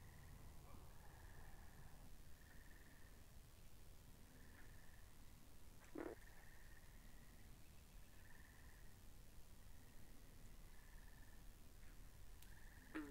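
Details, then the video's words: Pond frogs in a binaural recording, heard as a continuous chorus of high, even trills in repeated stretches, broken by two short, sharp calls near the middle and the end, over a rumbling low background. "Two Hours Of Frogs By The Pond"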